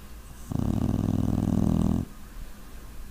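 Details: Puppy named Brute asleep and snoring, a single long raspy rattle of about one and a half seconds, low and grumbling, with faint room hiss before and after.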